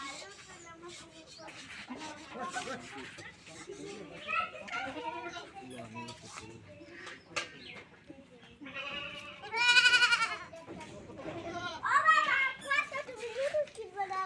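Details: Domestic goat being milked in a village, giving loud, wavering, quavering bleats in bursts near the middle and end, while people talk steadily in Bengali close by.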